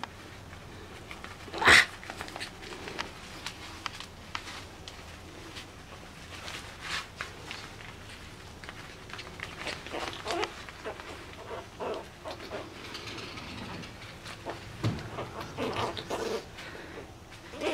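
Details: Two Chihuahua puppies play fighting, giving scattered short growls, scuffles and yelps, with one sharp loud yip near the start and a person speaking softly at times.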